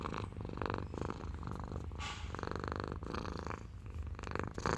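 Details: Domestic cat purring indoors: a steady, low rumbling purr with rhythmic pulsing, swelling and easing with each breath, continuous throughout with brief breath breaks.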